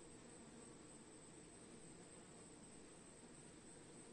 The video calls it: 동물 소리, Animal Sound, Swarming bees, 3분 04초